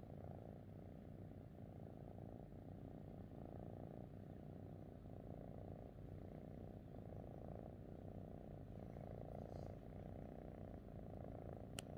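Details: House cat happy beside its owner gives a steady low purr, rising and falling roughly every second with each breath, ending in a small click.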